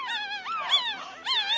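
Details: Pomeranian puppies nine days old crying in overlapping, wavering whimpers that bend up and down in pitch, several thin cries running into one another over under two seconds.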